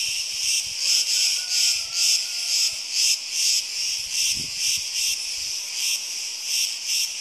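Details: Buzzing cicada chorus in Crete during hot summer weather, a loud high rasping drone swelling and fading in regular pulses roughly twice per second, with a faint whistle-like tone briefly in the background.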